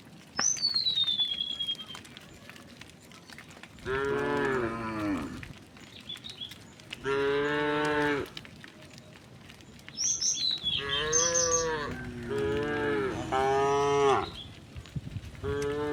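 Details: Several tame cows being herded home to their pen along a quiet village road in the afternoon give long, rich moos that rise and fall, answering one another, with a few bird chirps.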